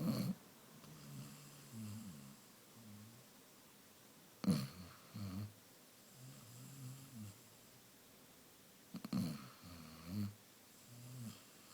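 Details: Sleeping Basset Hound named Amaya snores in a small room: repeated low, buzzing rumbles with a wobbly tone, broken by sharp snorts and clicks around the fourth, ninth and tenth seconds, then more rasping breaths.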